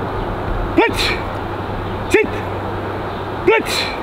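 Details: German Shepherd giving three short, sharp barks, each rising and falling in pitch, spaced about one and a half seconds apart over a steady low engine or vehicle rumble.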